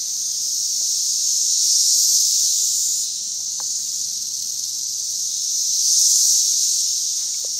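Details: Thirteen-year periodical cicadas calling in a front yard during their June 2011 return to the St. Louis metro area; a dense, high-pitched droning chorus that swells and fades in slow waves about four seconds apart.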